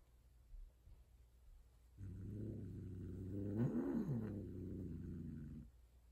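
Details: Loud female Persian cat, a tortie, mating indoors with a white odd-eyed male during breeding: a low, drawn-out harmonic yowl of about three and a half seconds that wavers and rises in pitch midway, in a quiet room.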